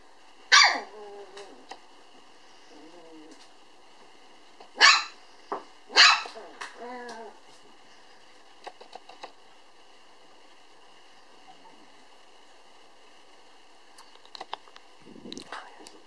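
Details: Black female toy poodle puppy, born June 18, 2012, recorded November 9 at a breeder: a few scattered sharp barks with long quiet gaps, faint clicks and a low steady hum between them.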